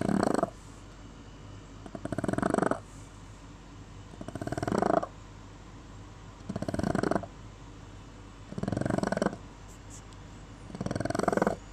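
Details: Boston Terrier (Canis lupus familiaris), snoring.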